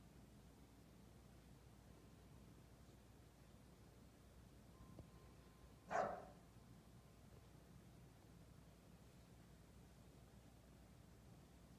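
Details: A single bark from Jasper, an English Bulldog called bossy, bursts out midway through a long quiet stretch of low room hum. Nothing else breaks the near-silence before or after it.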